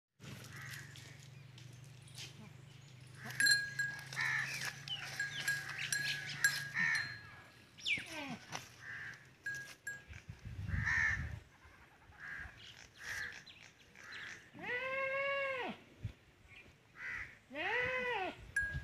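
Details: Goats in a village in Punjab, Pakistan, during a Teddy goat's first mating with a female. Mixed rural noise and chatter come first, then several loud, wavering bleats near the end.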